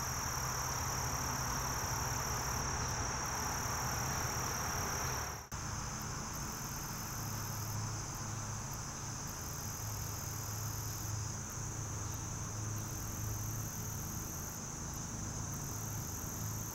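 A short-winged meadow katydid sings a thin, very high hiss broken by brief, louder buzzy bursts.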